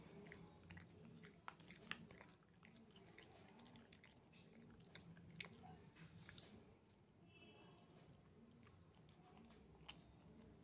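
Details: Gnawing by a young Shih Tzu working on a chew stick inside, with repeated crunchy bites, moist smacking and occasional louder snaps against a quiet room background.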